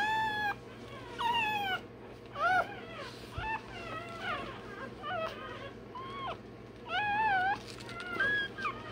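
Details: Shrill, wavering cries from a day-old Rottweiler puppy undergoing tail and dewclaw removal; irregular bursts of rising-then-falling squeals, some long and drawn out, with a low background hum throughout.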